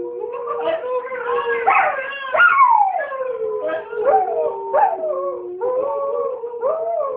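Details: Dog singing, a long, clear, mid-pitched howl that wavers and holds steady, with a few sharper rising and falling yelps breaking in, then settling back into a sustained tone.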